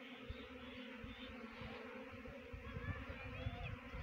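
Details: Even, unbroken hum from a honey bee swarm being caught in a trap box, Jaunsar Bawar, Uttarakhand; soft steady drone with faint higher whines of individual bees passing close.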